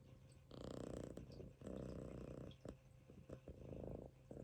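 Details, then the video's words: Munchkin kitten asleep on a person's stomach, snoring in long rough breaths: two sustained low buzzing stretches about a second each, then shorter choppy snores with faint clicks between them. "Kitten snoring on my stomach 飼い主のお腹の上でいびきをかいて寝る猫"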